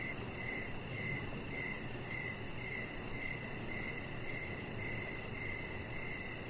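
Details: Crickets calling in the evening near a deck, giving regular pulsed chirps close to two per second over a steady shrill background drone of other insects.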